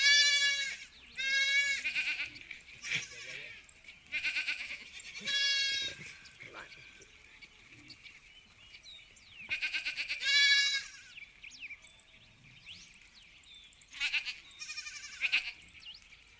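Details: Sheep on a farm calling in bursts of bleating, with bright, shaky calls every second or two, then quieter gaps filled with faint farmyard rustling and distant bleats.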